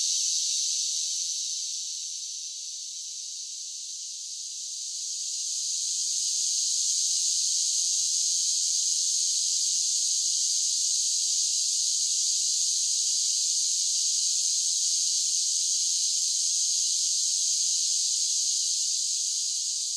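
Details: A summer chorus of singing cicadas: an unbroken high, hissing buzz that fades briefly around the third second, then returns to a constant, intense drone.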